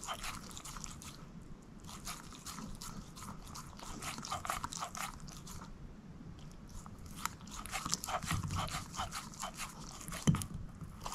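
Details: A shepherd mix named Moose chewing a bone, with rapid bursts of crisp crunching clicks, a lull around the middle, then denser gnawing and one loud crack near the end.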